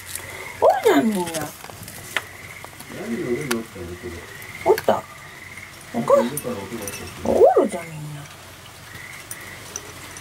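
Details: Mother cat of a stray family living at a house, calling for the woman when she wants something; four loud, drawn meows spaced about two seconds apart, with quieter murmuring sounds between them.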